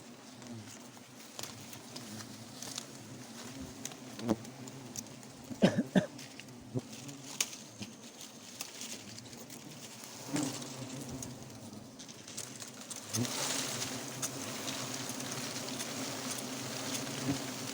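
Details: Honey bees from a wild forest hive buzz steadily while the comb is harvested. A low, even hum underlies sharp clicks and knocks, with a hissing rush of noise near the end.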